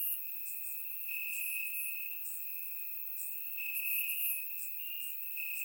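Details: Crickets on a warm summer night in Bulgaria, chirping in the grass; a sustained piercing trill swells slightly around the middle while fainter higher chirps flicker on and off.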